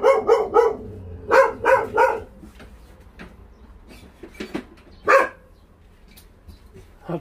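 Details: Barking from a stray dog during a volunteer transfer from the Naraeul Center in Ulsan: quick triple and paired barks at first, then scattered single barks with quieter gaps and faint background rumble.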